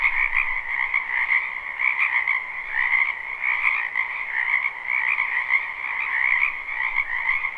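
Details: In a wetland behind a house in spring, a large group of frogs croaks in a live recording: a thick, ceaseless chorus of trills, a high band and a middle band, with rhythmic swells in loudness.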